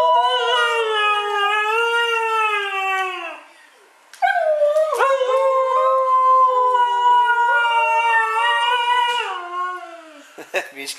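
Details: Two dogs, Mishka and Laika, 'arguing' about Pikachu: long harmonic howls and yowls, drawn out and wavering, one voice about three seconds then a rising, sustained second stretch, ending in short yips.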